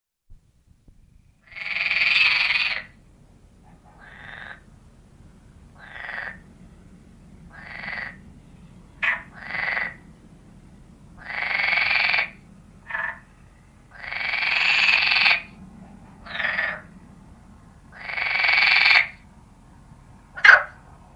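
A common frog gives rasping, grating croaks in short bursts, separated by pauses of one to two seconds.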